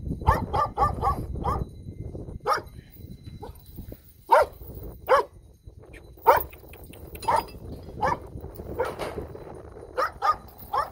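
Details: Countryside puppies, now much bigger after forty days apart, yap steadily in short bright barks, a rapid flurry at the start and then single barks every second or so, over a rustling background.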